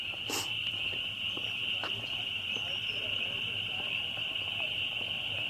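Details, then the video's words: Many spring peepers, a really loud bunch of frogs, calling at once, forming an unbroken high-pitched shrill wall of sound, with one brief sharp crack near the start. "Spring Peepers"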